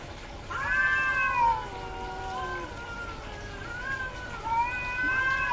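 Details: Female domestic cat in heat: two drawn-out, tonal yowls, the first steady then sliding down, the second starting after a short break and rising again, with a quiet room behind.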